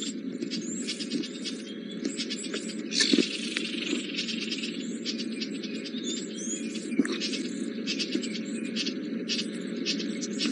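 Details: Squirrels shouting across a riverbank at Djuma Game Reserve on the morning of April 17, 2018, possibly having spotted Hosana, a young male leopard stalking them. Dense, scratchy clicking chatter runs almost continuously over a steady low rumble.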